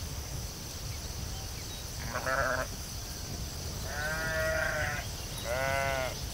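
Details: Sheep in a field giving three harmonic, wavering bleats, each about a second long, over a steady low rumble and a constant high hiss.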